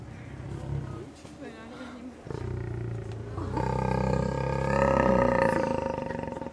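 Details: Lion during mating at Ostrava zoo, giving a deep, sustained, harmonic roar that starts after about two seconds and swells toward the end, with visitors' voices nearby.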